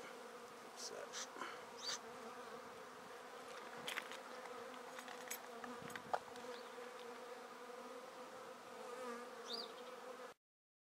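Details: A honey bee swarm is taken from a tree directly into a swarm basket, making a steady, droning hum with layered tones, broken by a few soft knocks and clicks, before the sound cuts off abruptly.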